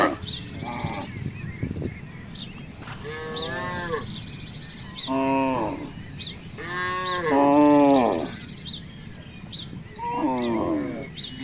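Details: Herd of village cattle roaming loose in a residential complex, playing: a series of drawn-out, rising-then-falling moos, several overlapping, from near and farther animals, with faint chirping in the background.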